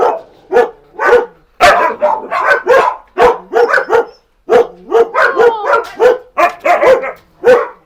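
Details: Siberian Husky Max barks insistently in short, bright, harmonic bursts, nearly continuous with one brief pause midway, some notes bending upward into yelps.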